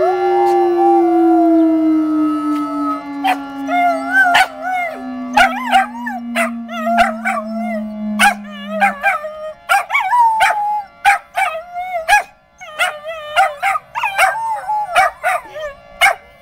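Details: Dog howling at Saturday noon tornado sirens; a long wailing siren slowly sinks in pitch while the dog's wavering howls rise and fall above it, broken by sharp clicks.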